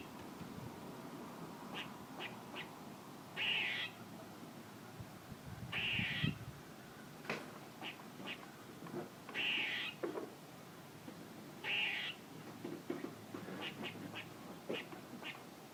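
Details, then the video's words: Squirrel calling repeatedly: four rasping, buzzy bursts at intervals of roughly two to three seconds, each with a thin whistled core, scattered short ticks in between, steady low background noise. "A squirrel making noises"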